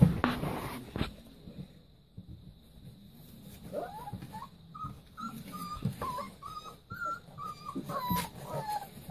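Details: Playing Leonberger puppies: after a few sharp knocks and a quiet stretch, a string of short high whimpers rises and falls in quick succession over the second half, with light shuffling underneath.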